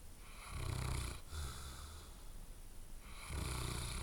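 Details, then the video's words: Loud snores from a sleeping dog: a long droning inhale, a pause, then another rough breath starting near the end, with a low buzzing rattle. "Sleeping Dog Snores Loudly"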